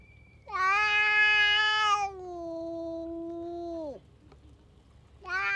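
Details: Stray tough cat lashing out at other cats: a loud harsh yowl, bright and strained at first, then sliding into a long steady moaning tone that falls away, followed by the start of another yowl.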